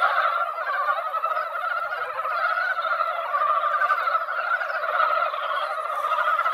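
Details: Mountain frogs gathered in a quiet mountain-valley pond after a light rain that barely wet the ground, a yearly season before egg-laying; a dense, unbroken chorus of overlapping croaking calls fills the pond, steady throughout.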